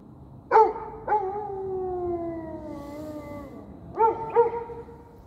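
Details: A dog gives two sharp barks, a long falling howl-like whine, then two more barks.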